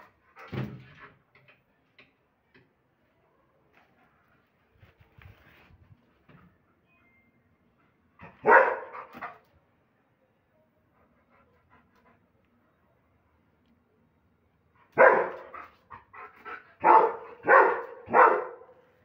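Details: Aggressive, rowdy German Shepherd barking powerfully: one bark opens the clip, a long near-silent stretch with faint huffs follows, then a loud bark, and finally a quick burst of four heavy barks at the end.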